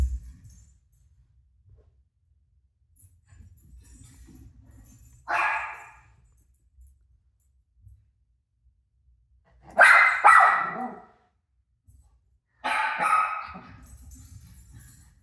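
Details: Rosie the dog barking back at a TV showing her own barking: three separate sharp barks spaced several seconds apart, with quiet low rumbling between them.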